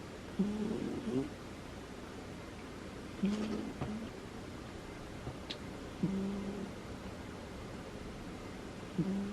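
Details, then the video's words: Butters, a female cat, snoring in her sleep indoors: soft, low, droning tones about every three seconds, each a short breathy buzz, with faint rustles and a few small clicks in a quiet room. "Listen to my cat snore"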